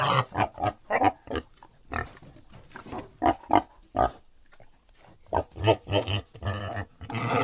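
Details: A wild boar (Sus scrofa) gives a run of short, harsh grunts and snorts in uneven bursts.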